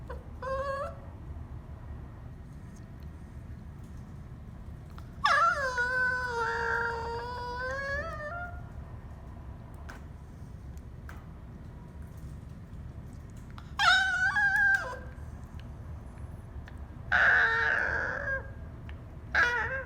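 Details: Cavalier King Charles Spaniel whining in its cage at bedtime, wanting to come out and half yawning; softer, longer drawn whines sliding down in pitch, spaced by long quiet stretches with steady low background hum.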